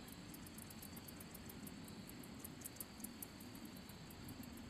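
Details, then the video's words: Handsome meadow katydid, Orchelimum pulchellum, stridulating with its wings: a quick series of sharp, very high-pitched ticks at a fairly even pace, set against constant low-pitched background rumble. "Katydid making noise / sound / chirping | Handsome meadow"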